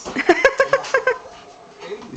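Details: Boston Terrier named Maxi, excited while playing with balloons indoors, gives a quick run of about eight short, high, tonal whimpering yelps in the first second, then quieter faint whines; room noise follows.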